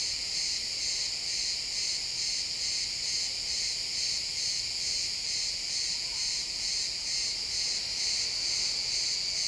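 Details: Chirping crickets in pine woods at sunset: a bright, continuous shrill chorus pulsing rhythmically, several insects overlapping in a steady stream of rapid trills.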